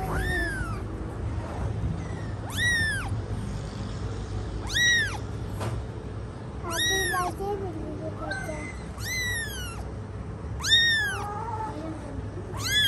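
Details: Mother cat caring for her kittens; a series of high, arched, rising-then-falling squeaky cries, likely kittens, repeated roughly every two seconds over a steady low hum, with brief faint speech.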